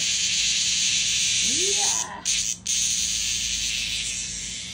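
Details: In Japan, a cicada meets a playful cat and keeps up a steady, shrill, high-pitched buzz that cuts out briefly twice. A short rising, voice-like tone can be heard partway through.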